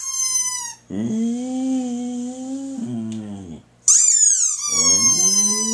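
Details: Boxer dog howling in response to a squeaky toy: a sharp high squeak opens, then a steady, low, sustained howl of about three seconds, a second squeak, and a new howl rising at the end.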